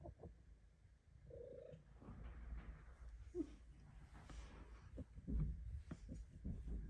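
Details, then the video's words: Cat squeezed into her favorite spot for belly rubs, purring in a low continuous rumble, with a short faint squeak-like sound and light rustling from the rubbing hand. "Kitty belly rubs and purrs in her secret lair!"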